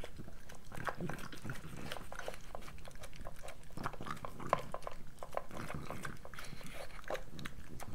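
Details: Moolah, a pregnant French Bulldog, at her breakfast: steady sharp crunches and smacking bites, several per second, over a soft low background of bowl and movement noise, captured intimately for ASMR.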